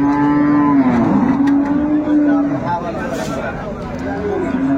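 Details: Improved-breed dairy cow with her calf at Ambari livestock market, Dinajpur, recorded 22 April 2024; a long, steady, low moo holds for about two and a half seconds, then a softer second moo follows amid market crowd chatter and background noise.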